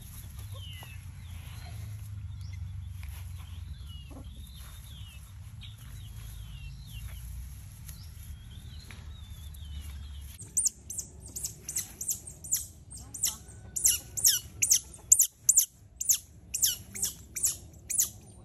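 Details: Rescued baby smooth-coated otters kept in a house built for them; after a stretch of distant bird whistles and low rumble, a rapid run of loud, shrill squeaks starts halfway and repeats irregularly to the end.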